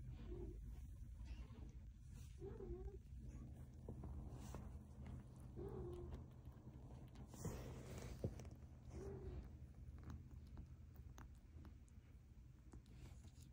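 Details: A kitten named Smokey gives short, faint mews, three rising-then-falling calls spaced about three seconds apart, over steady low background hum with occasional clicks and rustles.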